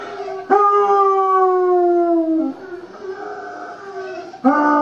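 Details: Five-year-old female basset hound, blind from glaucoma and recovering from back surgery, howling: a long tonal howl with rich harmonics sliding slowly downward over two seconds, a quieter wavering stretch, then a new howl rising sharply at the end.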